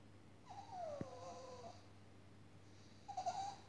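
A Staffordshire Bull Terrier whines in high, wavering, falling tones after being left alone by its owner.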